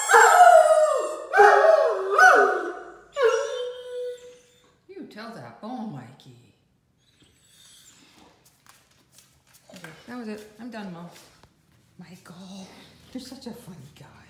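A Great Dane gives loud, wavering howls that rise and fall, answering a squeaky toy's sound.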